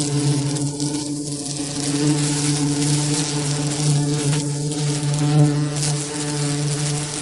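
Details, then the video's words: Steady, low-pitched bee buzz holding one tone throughout over a hissy background. "What does a bee sound like? | Real bee buzzing sound"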